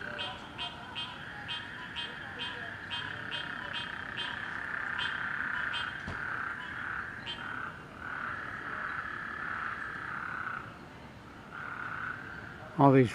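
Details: Night chorus of frogs in a neighborhood after flooding rain: continuous buzzy trilling with quick regular pulsed notes early on, fading and returning in waves, ending in a sudden loud knock.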